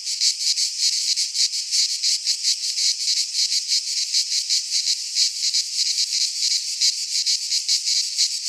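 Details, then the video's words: Midsummer cicada chorus recorded in a pine forest in Greece, a loud harsh shrill buzz that throbs in quick uneven pulses without pause, nothing else audible. "Cicadas singing in midsummer - Nature sounds from the Greek fauna - Sounds of cicadas"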